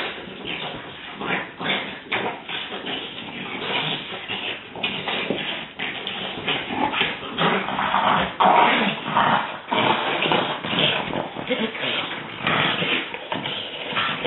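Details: Several French Bulldogs in a rough play session growl and grumble, with snorts and short yips mixed in; one of them finds it all a bit too much, as usual.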